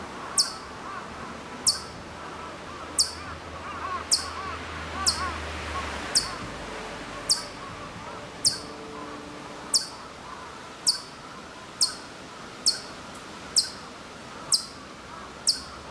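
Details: Far-off Hokkaido chipmunk in Maruyama, Sapporo, Hokkaido, September 2014, uttering around fourteen thin, high chip notes roughly once a second; a low hum fills the first six seconds beneath faint ambient sound.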